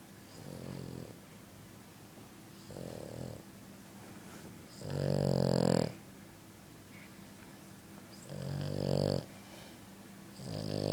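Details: Loud snoring from a sleeping French Bulldog: five harsh, throaty, buzzing snores at irregular intervals of about two seconds, the middle and last ones loudest, with near-silence in between.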